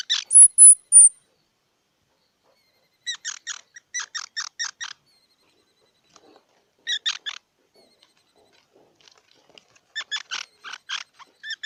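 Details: Squirrel giving bursts of quick, squeaky chirping notes, several short rapid series separated by silent gaps, preceded by a brief high thin whistle at the start.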